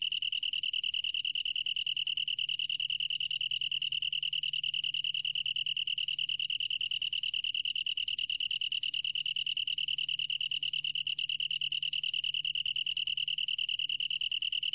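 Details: Steady ringing song of a long-tailed tree cricket, a fast, regular pulsed trill at a single high pitch that carries on without interruption, with a faint low hum underneath.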